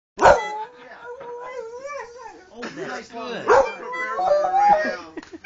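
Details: Dog howling and singing along in a bluesy style: wavering, gliding tones that rise and fall in long drawn-out phrases, with sharper bursts near the start and middle. A human voice appears to sing along.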